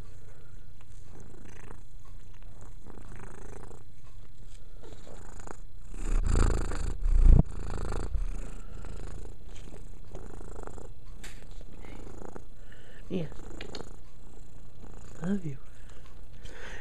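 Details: A cat named Mia purrs while cleaning herself, a steady low rumbling purr running throughout, swelling louder around the middle, with faint soft voices murmuring nearby.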